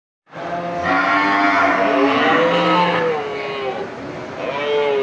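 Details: Buffalo cows calling to their companions in a market, with long moaning harmonic calls that rise and fall, overlapping one another above a constant crowded background din.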